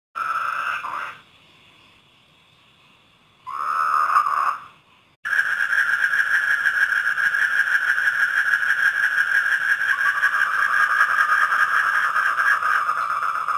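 Frogs calling at night in a steady, buzzy, mid-pitched drone with a rapid pulsing rhythm.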